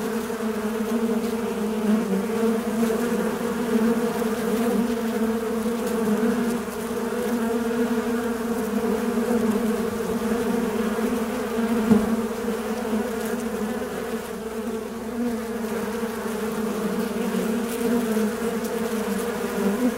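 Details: Fly buzzing continuously for twenty seconds: a steady, low droning hum with rich overtones, holding an even pitch and loudness, with slight wavering and no other clear sounds.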